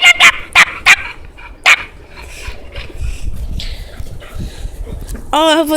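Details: Playful young female puppy indoors: a quick burst of four sharp, loud yaps, then a pause and one more, followed by faint rustling and a wavering high squeak at the end.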